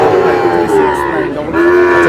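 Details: Sahiwal bull calf from a Noakhali farmer's purchase, lowing in drawn-out, level, humming moos, one early and another in the second half, with people talking close by throughout.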